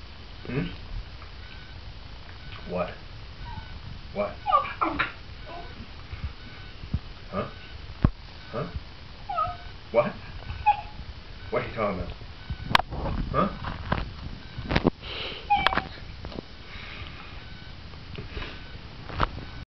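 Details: Basenji indoors, gone wild with excitement over pizza, giving short high whimpers and sharp little yips in irregular bursts throughout, while a person talks to him in between.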